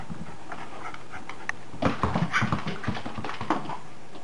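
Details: Indoor game with Maggie, a pet dog, played on bad-weather days: quiet at first, then a quick run of short, huffing breaths and scuffles in a small room.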